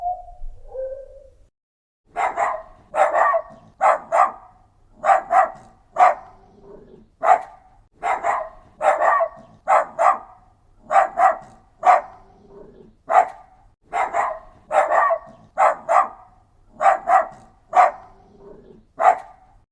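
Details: Dog barking steadily and rhythmically, roughly two barks per second in paired pulses, sharp and bright, continuing for most of the stretch after a short soft whine at the start.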